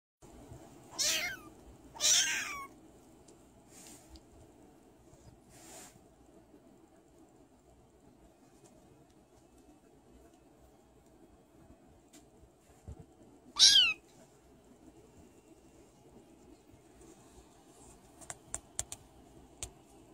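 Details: Male foster kitten playing indoors in his foster home gives three high, thin meows that slide downward in pitch: two close together near the start and one more after a long quiet pause, with faint clicks and taps toward the end.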